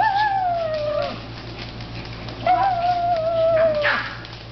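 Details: Japanese Chin at play inside a shop gives two drawn-out, slightly falling whining howls, each about a second long with clear overtones, separated by a brief pause, above a constant low hum.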